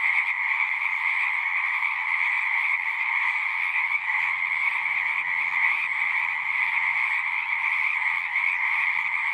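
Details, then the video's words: Frogs chorus in a thick, continuous trill that stays level throughout, with a faint low rumble underneath in the second half. "One hour of singing frogs."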